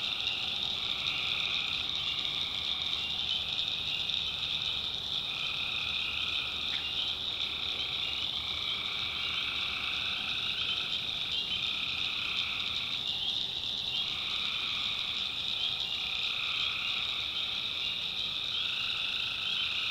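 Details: Numerous tree frogs calling through the night in a backwoods North Carolina swamp, the overlapping trills rising and falling in pulses every couple of seconds, with an even high-pitched cricket-like buzz throughout.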